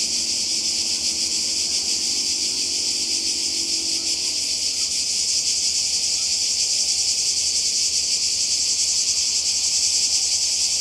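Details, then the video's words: Cicadas by the sea in Croatia during summer 2020: a dense, unbroken, high-pitched buzzing chorus with a faint pulsing shimmer fills all eleven seconds, with a soft low hum beneath and a brief faint tonal sound early on. "Kroatien Zikaden und Meer"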